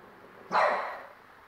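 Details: A 4-month-old French Bulldog puppy, angry at the TV, gives a single sharp, loud bark that fades quickly.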